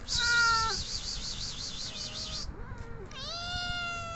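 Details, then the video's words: Cat wanting attention: a short meow, then after a pause a longer meow that swoops up and holds, with a steady, wavering high tone in the background. "CATS need more attention"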